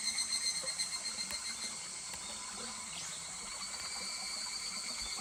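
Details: Higurashi cicada at Kuragari Pass in July beside a stream: a pulsing high trill opens loudly, then fades into a steadier shimmering buzz, with trickling water and small clicks throughout.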